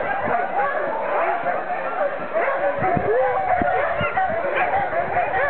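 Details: Huskies at kennels at Iso-Syöte in Finland, many dogs calling together in a dense chorus of overlapping high yips, whines and howl-like wavering cries, with continuous background din.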